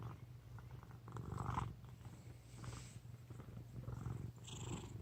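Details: A fat pet cat sleeping indoors snores in soft, raspy breaths that rise and fall in about three pulses over five seconds, with light rustling in the room.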